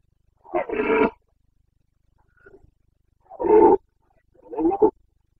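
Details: Carpathian red deer stag in the Bucovina mountains, Romania, roaring during the breeding season on 29 September 2022: three loud, coarse, harmonic bellows, each under a second long, with a faint short grunt between them, against a quiet background.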